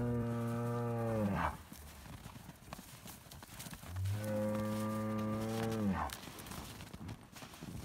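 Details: Highland cattle bull kept outdoors on a Finnish farm, fed bread, calls two drawn-out, low, rich moos, each about 1.5 seconds and falling at the end, separated by a pause filled with rustling and faint noise.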